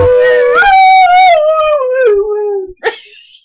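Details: Foster dog singing along with a person: one sustained howl that rises, holds, then slowly sinks in pitch over two and a half seconds, followed by a short sharp yip.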